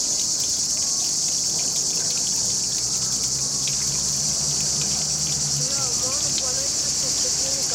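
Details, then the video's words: Under trees along a river with a fountain running, cicadas keep up an unbroken high-pitched buzzing drone. A few faint chirps come near the end over the flowing water. Recorded with a Panasonic HC-X900. "Running fountain in the river under the trees with cicadas singing"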